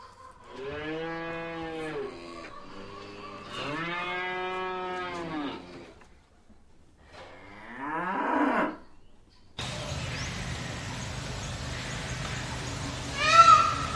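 A cow gives two long, low, drawn-out moos, followed by a shorter bawl and a noisier stretch.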